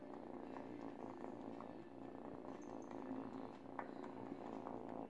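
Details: Purring from an eight-week-old female kitten indoors, gnawing a baby blanket as she teethes: an unbroken, fast-throbbing low hum, steady in loudness, with small clicks and rustles of fabric.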